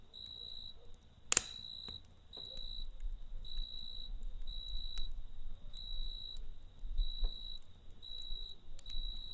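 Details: Cricket chirping at night beside a campfire: clear, high, steady pulses of roughly half a second each, repeated at an even pace. Low crackling from the fire runs underneath, broken by one sharp pop early on.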